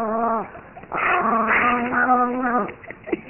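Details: Brownie, a pet Chihuahua, furious and jealous, lets out a strained, tonal growling whine in several rising and wavering bursts with a short break, ending in a few sharp yips.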